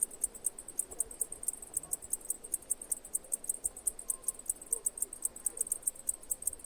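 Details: A cicada keeps up bright, piercing clicks in quick, even succession, about five each second, with quieter faint rustling and murmur lower down.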